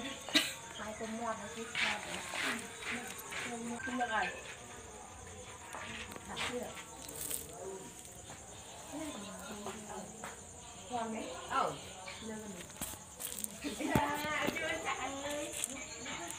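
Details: At night, puppies squabble and play, letting out many wavering, squeaky whines and yelps in quick overlapping bursts, some sliding up and down. A constant high hiss runs underneath.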